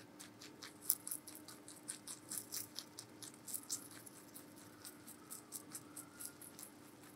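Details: Giant rabbit named Meonji eating vegetables indoors, recorded as real-sound ASMR: a steady run of crisp, crackling crunches roughly every quarter second, each a bright burst, over a faint constant low hum.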